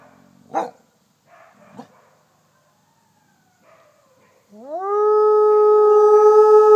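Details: Captive Mexican gray wolf F810 leading howling wolves at the Wolf Conservation Center, South Salem, NY: a few faint short sounds and quiet stretches, then a howl sweeps up from low pitch and holds a strong steady tone to the end.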